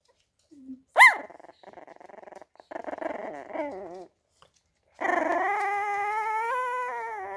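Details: Feisty PatterJack fell terrier puppy snarling. A sharp yelp is followed by stretches of rapid, pulsing growl with a wavering, whiny edge, a short silence, then a long sustained whining snarl that rises slightly and holds for over two seconds.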